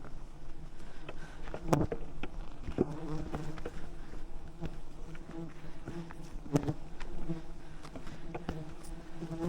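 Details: Thousands of wild bees swarm at a giant honeycomb high in the rainforest canopy while honey hunters use smoke to calm them; a continuous low droning buzz with scattered clicks and knocks.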